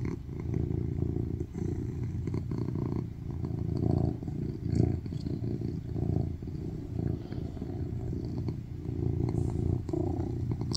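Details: Male tuxedo cat purring loudly on a lap while cuddling and asking for affection; a deep, even rumble rising and falling in strength over the stretch, with light scratchy rustles.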